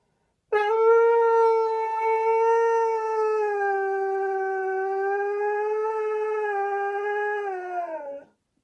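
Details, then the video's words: A dog gives one long, steady howl that holds an even, clear pitch for about seven and a half seconds before stopping sharply. Nothing else is audible behind it. "DOG BARKING SOUND"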